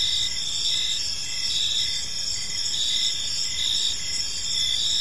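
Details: In a park at evening, crickets keep up a continuous shrill trilling chorus, layered high-pitched chirps pulsing in regular beats with a faint rumble underneath.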